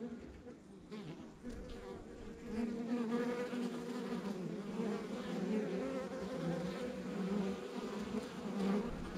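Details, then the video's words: Dense buzzing of honey bees at a rural backyard hive, low humming tones that swell after a quieter start and waver steadily, individual bees passing closer with brief louder whirs. "Relax to the Sounds of Our Backyard Buzzing Beehive"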